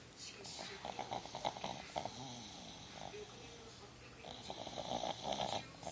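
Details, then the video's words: Nikki the pug snoring while sleepy on the couch: short rough snorting breaths at the start and a longer raspy snore near the end, with a person's voice calling her name in between. "Snoring pug"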